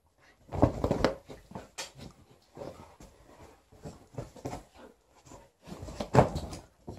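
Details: Liza, a female Alaskan Malamute, play-fights indoors with her old fish toy during the shedding period while her aunt visits; short, rough, growly bursts come in uneven clusters, strongest at the start and near the end, with scuffling thumps between.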